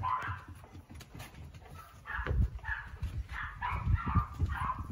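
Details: Cat-like yowls from Yoichi, a tricolour male Cavalier King Charles Spaniel in Fukuoka, Japan, overexcited while playing: a run of short, whiny meow-like cries, several per second, over low thumping and rustling.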